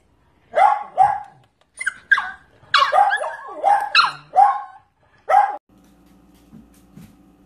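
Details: Corgi puppies barking indoors, around eight sharp, punchy barks in quick irregular bursts, then the barking stops and a low steady electrical hum remains in a small room.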